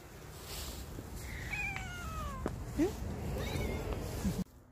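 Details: Ruby, a playful stray cat, gives a drawn-out falling meow followed by a shorter upward-sweeping call, with low background rumble and a brief soft voice.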